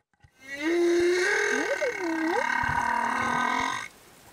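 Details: Humpback whale, a male escort accompanying a female and her calf in Tonga, sings a sustained harmonic tone that breaks into wavering upsweeps and downsweeps, a loud cry lasting over three seconds before ending abruptly.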